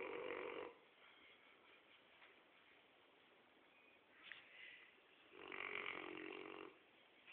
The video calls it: Bruno the rottweiler dog snoring